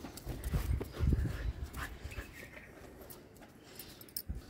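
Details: Pet dog panting or huffing in quick low bursts, roughly three per second, loudest in the first second and a half, then fading into quieter rustling with a few faint clicks.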